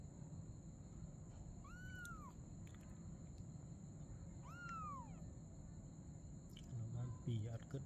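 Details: At night, a mother cat plays with her kitten; two drawn-out, bowed meows roughly three seconds apart, then a brief human voice near the end, over a continuous low hum.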